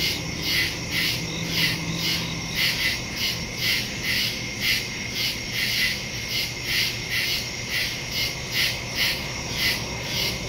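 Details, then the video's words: Woodland crickets at night, recorded September 2, 2023 using a phone and stereo microphone; overlapping high chirps pulse in an uneven rhythm over a continuous ringing trill, with a brief low hum early on. "Crickets in the woods at night"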